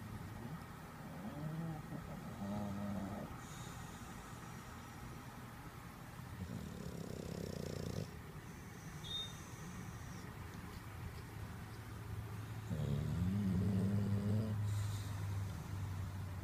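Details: English Bulldog. An English Bulldog snores with low, rattling, nasal breaths, some rising into a buzzy, wavering drone. A constant low hum, like a distant engine, runs underneath throughout.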